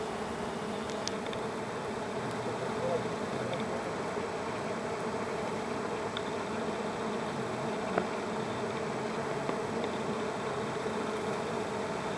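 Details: Pair of bees struggling over one flower: a continuous low droning buzz that stays level throughout, with a few faint ticks scattered through it.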